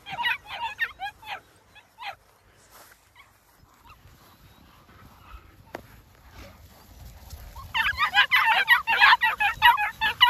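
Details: New Zealand Huntaway puppies give a burst of sharp, high yaps, fall nearly silent with a few soft whimpers, then erupt into a loud, crowded bout of overlapping squealing yelps.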